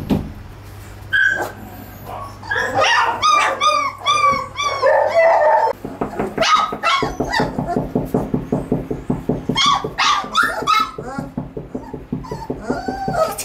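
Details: Litter of 22-day-old puppies calling together: overlapping high yelps, whines and squeaks, then a rapid, fairly steady series of short yips, with many pups vocalizing at once over a low steady hum.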